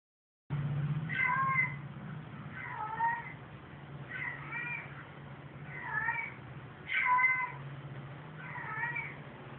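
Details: Pet cats meowing in reaction to a "cat in heat" recording: about six drawn-out, harmonic meows, some bending down in pitch, spaced roughly every one to two seconds over a steady low hum.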